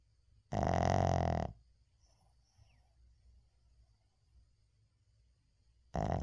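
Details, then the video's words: Uijung the Shih Tzu snores in deep sleep indoors: one long, loud, rattling snore lasting about a second, then quiet breathing for several seconds before the next snore begins at the end. "시츄 코골이"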